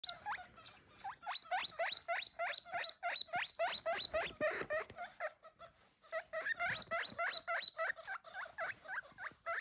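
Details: Baby guinea pig giving rapid, high rising squeaks, about three to four per second in long runs, with a short pause in the middle; faint patter in the background.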